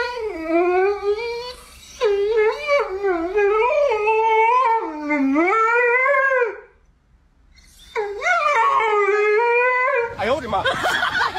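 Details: Pomeranian held up, howling in long wavering tones that rise and fall, several drawn-out howls with a short pause, background music and laughter.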